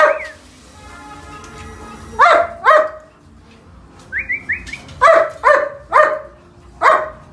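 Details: Purebred German Shepherd at a kennel giving spaced, hoarse barks in pairs and short runs, with a few quick high chirping notes before a final run of barks.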